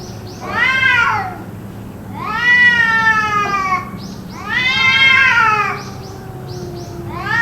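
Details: Cats caterwauling in what may be a fight, the noise reportedly going on for around two hours; three loud, harmonic, arching wails about two seconds apart, with fainter falling moans and short soft chirps between them.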